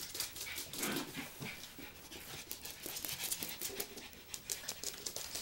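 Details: Schipperke at Ebony's ninth birthday party, April 2013, indoors: quick breathy panting and sniffing in rough, noisy bursts, with faint voices in the background.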